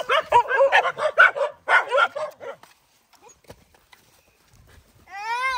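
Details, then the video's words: Several poor dogs given food and fighting over it: a burst of rapid, rough barks and growly yelps in the first two and a half seconds, then near silence, ending with a rising whine. "Feed Poor Dog and They Do fight"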